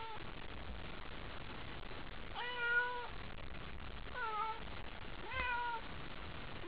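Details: A domestic cat named Haiko, overexcited by a toy at a nighttime cat gathering, gives three drawn-out meows with rising then falling tones, spaced about a second apart over a steady low indoor hum.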